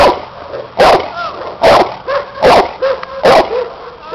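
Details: Cane Corso aged seven during a protection work test against a helper with a hidden sleeve; four heavy barks at a steady rhythm, roughly one every 0.8 seconds, with softer whining tones between.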